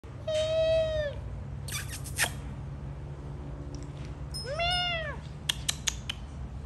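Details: Scottish Fold cat lying in a basket in fine weather, giving two drawn-out, arching meows about four seconds apart, each rising then falling in pitch, with a few sharp clicks and taps between them over a low steady hum.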